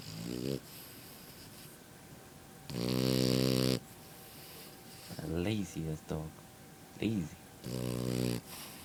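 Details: Sleeping French bulldog puppy snoring: three loud, rasping, buzzy snores of up to a second each, with a man's voice talking between them.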